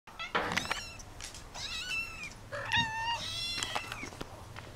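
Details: Kittens wanting to get out, calling in quick overlapping meows: several high, wavering cries tumble over one another, some rising and then falling, with faint shuffling behind.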